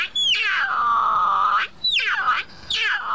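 A cougar gives three harsh, screaming wails, each dropping sharply from a high start into a steady, raspy tone; the first is long, the next two shorter.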